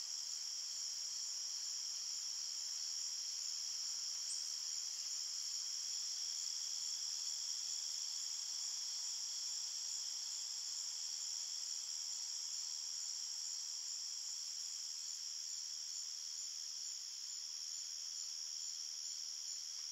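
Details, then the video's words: Forest crickets chirping at night: a sustained high, shimmering chorus of rapid overlapping trills holding an even volume for the whole stretch, nothing else clearly heard. "Crickets Chirping Sounds"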